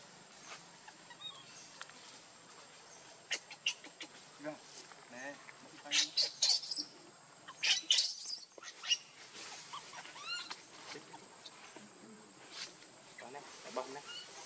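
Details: Baby monkey named Leo, hungry and begging its mother for milk; shrill high squeals and rising-falling arched cries come in irregular bursts, loudest midway, with faint rustling between.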